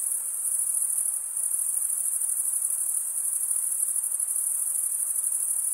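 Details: Male crickets chirping by stridulation, wing scraped against serrated wing vein; an unbroken shrill pulsing drone stays high and even throughout, with slight swells in loudness and no other sounds.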